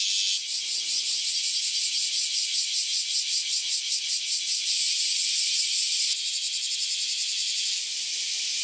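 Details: Massed singing of freshly emerged cicadas after about ten years in the ground: intense high rasping buzz with fast rhythmic pulses, briefly swelling and shifting in texture partway through, unbroken to the end.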